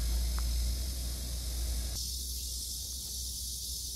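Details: Cicada song in a rural garden with an old tree, date-plum, morning glory, pumpkin leaves and chili plants: an intense high continuous buzz that grows brighter partway through, with a deep rumble of wind or engines beneath.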